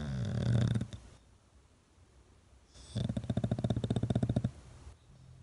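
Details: Sleeping English Bulldog snoring on its owner's cheek: a deep, rough inhale snore, a quiet pause, then a long rattling snore of rapid pulses lasting about a second and a half.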